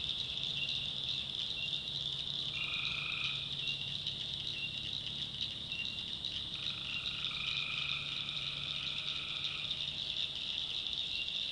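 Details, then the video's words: Tree frogs at night in a North Carolina swamp: unceasing shrill high-pitched chorus, overlaid by a few lower, sustained trilling calls of one to three seconds scattered through. "Relaxing Swamp Sounds at Night - Frog Heaven - Frogs, Crickets, Forest Nature Sounds"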